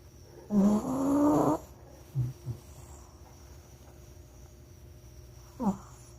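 A Shih Tzu snores in a long, raspy, rumbling intake of breath, then lets out a few short snorts. Another rough snore follows after a quiet pause, with a faint steady hum underneath.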